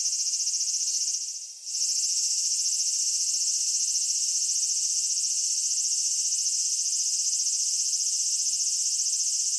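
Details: High, sizzling drone of cicadas in a Kitakami summer landscape, Japan, with a brief dip and soft swell after a second and a half before the steady insect hum resumes.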